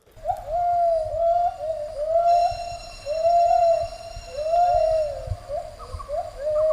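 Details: A male and female gibbon holding a territory together duet as they do every morning: loud, swooping hoots that rise and fall, repeated in a rolling series.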